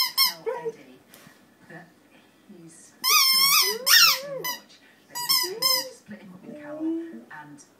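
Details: Pet husky responds to squeezes of his toy duck in a small room; bursts of loud, bright, wavering squeaks alternate with the dog's short rising and falling whining yodels and moans, with a few quiet gaps between.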